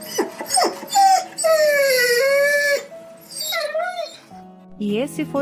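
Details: Dog crying from hunger: a long whine that dips and levels off, then short wavering whimpers, mixed with background music and voices.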